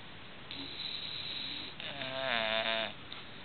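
An English bulldog snores in its sleep, a breathy rasp swelling into a buzzy, rattling snort.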